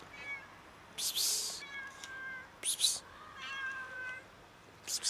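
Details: Very skinny, starving cat meowing loudly while asking for food; several drawn-out, wavering meows with clear overtones come one after another, interrupted by a person's sharp hissing psst sounds calling the cat.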